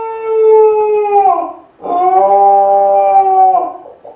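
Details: Kai Ken Ichi, alone at home, gives two sustained wolf-like howls, the first steady then dropping at its end, the second held level for nearly two seconds; sad, plaintive tone calling for family.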